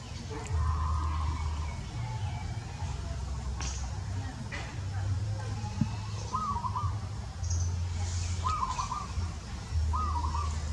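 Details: Baby monkey Devo crying for milk from its mother Diva; short, steady mid-pitched wailing cries come in separate bursts, a few clustered near the end, over a constant low engine-like rumble and faint background voices.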